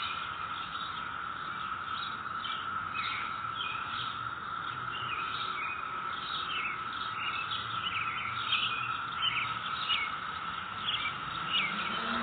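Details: Continuous humming drone of cicadas heard in a neighborhood on May 22, 2021, steady in pitch and loudness, overlaid by frequent quick bird chirps and tweets.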